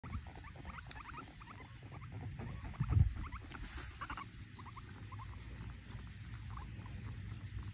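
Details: Pet guinea pigs fighting give rapid, high squeaks in quick, uneven bursts over a low rumbling background.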